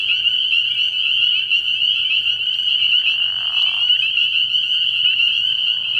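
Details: Dense chorus of spring peepers calling at night from a frog pond early in the year: countless high, piercing peeps merge into a continuous shrill ringing, with a brief lower raspy trill from another frog near the middle.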